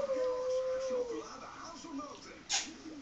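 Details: Husky giving a long, steady, tonal howl that holds level for about a second and then sags, followed by softer wavering vocal sounds and one sharp noisy burst.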